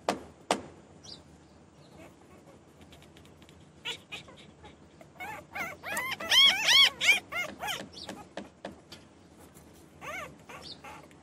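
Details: Newborn puppies whining in a burst of high arched cries in the middle, several overlapping, with quieter sparse squeaks and clicks before and after.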